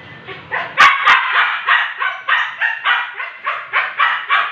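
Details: Siberian Husky undergoing artificial insemination, a steady series of loud, rough yelps repeated roughly three to four times a second, with two sharp clicks near the start.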